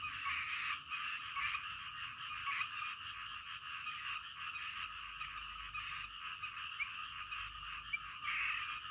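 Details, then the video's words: Frogs calling through the night, a steady dense chorus of pulsed croaks with occasional brighter single notes, over quiet low background rumble. "SUARA KODOK DITENGAH MALAM"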